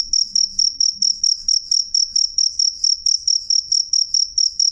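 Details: Loud, clear cricket chirps, sharp and high, spaced evenly at about three to four per second, with a faint ringing overtone above and only a slight low background sound.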